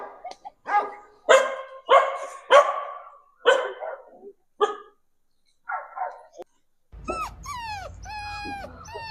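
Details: A dog reacts to dog sounds played to it, giving a series of sharp barks with gaps between them, then high, sliding whining yelps over a low hum near the end.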